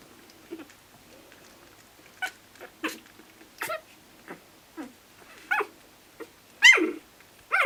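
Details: Lhasa Apso puppies talking to each other, sneezing and squeaking: a run of short, high, sharp squeaks and yelps spaced roughly every half second, ending in a louder whining squeal.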